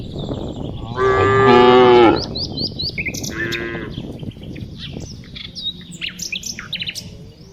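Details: A single loud, rich moo lasts about a second from a tame cow being herded in the afternoon, then a shorter, fainter low call follows amid steady chirping birds and rustling background noise.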